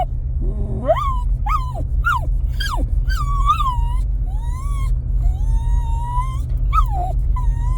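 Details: Jack Russell terrier in a truck, eager to get out, whining: sharp rising yelps followed by long, thin, level whines, over a steady low engine rumble.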